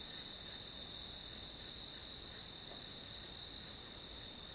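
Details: Grass insect song, a thin shrill trill broken into quick regular pulses about three per second, clean and steady against quiet background.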